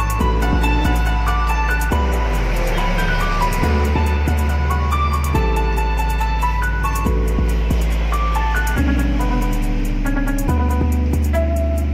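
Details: Steady instrumental music with a low repeating bass and stepped melodic notes plays throughout, with no animal voice standing out.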